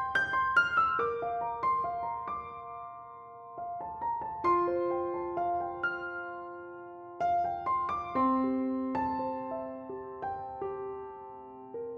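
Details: Gentle piano music with sustained notes plays throughout, and no animal calls are heard.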